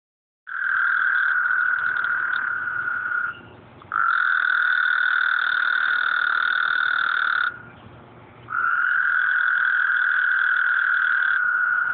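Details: Frogs at night, heard at the end of a work night and recorded on an Android phone: a dense, loud, continuous buzzing trill held for several seconds at a time, broken by two brief dips, with an overlapping higher trill.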